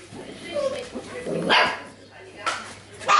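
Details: Golden retriever puppies from a litter playing together, giving short sharp yips and barks in quick bursts near the start, middle and end, with people talking over them throughout.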